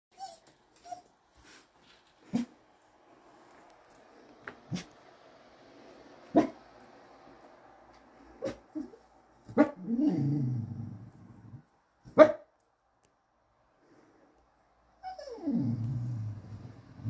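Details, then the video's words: A curious English Cocker Spaniel barking on a rainy day in France; short, muffled single barks spaced a few seconds apart, with a couple of longer, lower sounds that slide downward in between. "Curious dog 🐕 English Cocker Spaniel barking"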